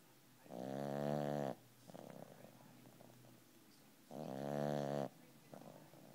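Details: A 12-pound puppy named Mr. Rocket snores in his sleep, producing two strong, buzzy, harmonic snore breaths about three seconds apart, separated by quieter wheezy exhalations.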